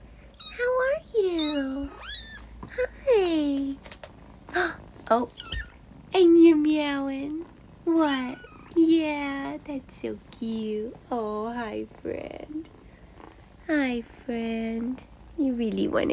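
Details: A kitten in a kitten room gives a run of high, rising-and-falling meows, seeking attention and cuddling, while a woman talks softly to it.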